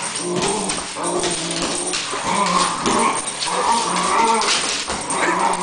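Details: Cocker Spaniel; play growl; play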